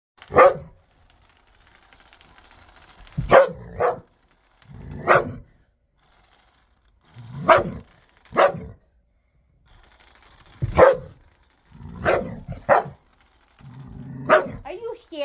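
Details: A ten-year-old dog playing with his new ball gives sharp single barks at uneven intervals, broken by low rumbling growls between them.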